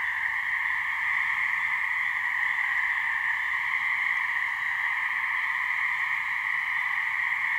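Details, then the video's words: Swamp in New Hampshire with a couple of gray treefrogs (Hyla versicolor) calling to mate: constant vibrating trill in two parallel pitches, even and droning from start to finish, otherwise quiet background. "Gray Treefrog mating call"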